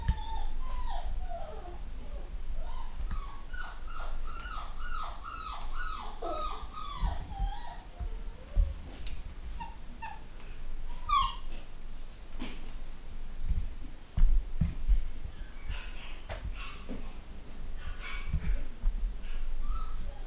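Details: Young pedigree Long Haired Miniature Dachshund puppies from a new home-bred UK litter. A run of about eight rapid, falling whimpers comes first, then scattered yips and faint squeaks among soft knocks and handling noises.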